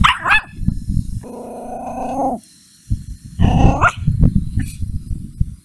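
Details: A puppy, angry at a stranger, growls and barks: low rumbling growls, a sustained harmonic whine-growl around the middle, then a rough bark burst followed by continued low growling.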